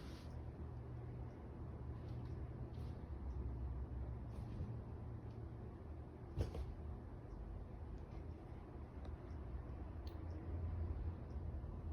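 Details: Low indoor hum with a few soft clicks and knocks, like a cupboard door, and no animal voice.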